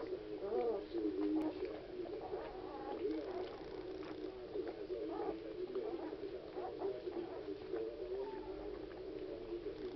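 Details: A litter of nine Alaskan Malamute puppies, on their fourth night, whimpers and squeaks in a steady, overlapping chorus.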